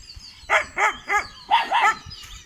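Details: Kanni and Chippiparai puppies on their 81st day, guarding, at a Thiruvarur dog sanctuary, 2 August 2021: five quick, high puppy barks in two close runs, each bark short and rising then falling.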